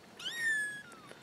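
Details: Kitten from a newly found litter of four gives one clear mew, rising and then sliding down in a long drawn-out tone lasting under a second, with little else audible.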